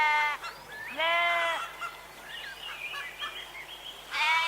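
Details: Sheep bleating: loud, wavering harmonic bleats at start and end, with a lower drawn-out bleat and thinner quavering calls between.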